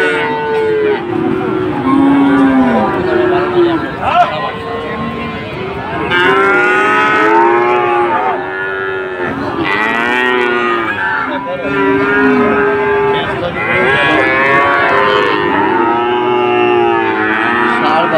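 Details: Several Sahiwal bulls at a Bangladeshi cattle market in Dhaka, 16 September 2024. Overlapping arched moos rise and fall in quick succession, some short, some drawn out, over a steady hum of crowd noise.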